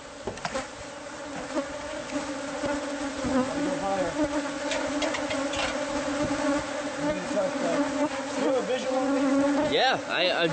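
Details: A bee colony lodged in house walls, buzzing as it is removed by pest control. A dense droning hum grows louder, with individual bees whining past in rising and falling swoops toward the end, plus occasional knocks.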